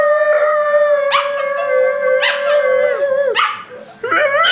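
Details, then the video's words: Several household dogs singing together in a howl while a cat looks on; one steady held howl underneath with other dogs adding repeated rising and falling yips and wavering cries. "Howling Dogs"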